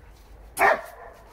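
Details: A German Shepherd Dog outdoors by a gazebo lit with new plug-in string lights, in winter, gives a single loud, sharp bark that breaks off quickly; he attacks a board and barks at it.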